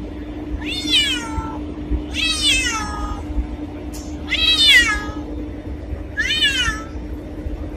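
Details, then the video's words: Black cat giving four drawn-out, eerie meows about every 1.7 seconds, each starting high and sliding downward, over a steady low hum. "Black Cat Sound | Creepy Cats Meowing | Scary Cat Meowing | Black Cat Voice"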